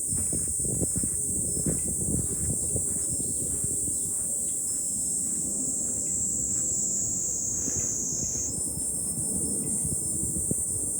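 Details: Cicadas singing in July from a hilltop looking out over Fukuoka city: an unbroken shrill drone that steps up in pitch near the end, over gusty wind rumble.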